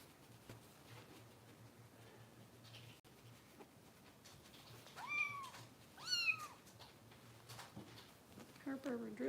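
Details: Rescue kitten Harper, lately hard to feed, during indoor bottle feeding in Los Angeles: after several quiet seconds, two sharp arched meows sound close together, with a thin squeaky cry at the end and soft talk nearby.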